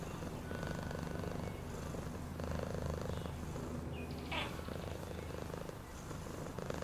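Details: Steady low cat purr with rhythmic rumbling pulses; a short faint rising squeak occurs just past the midpoint.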